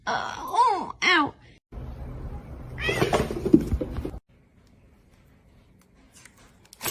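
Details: Domestic cat meowing: two quick rising-and-falling meows in a row, followed by rustling household noise and a burst of human voices, then near silence.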